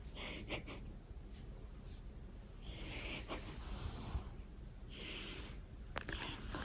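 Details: Sleeping pet cat snoring indoors: soft, wheezy, breathy hisses recur about every two to two and a half seconds, each a drawn-out airy rasp over a low, steady room hum, with a faint click near the end.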